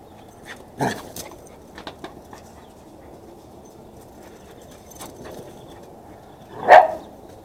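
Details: Max, a Chihuahua cross dog, during a burst of frantic running, lets out a short bark early on, light scuffling and taps, then one louder sharp bark near the end.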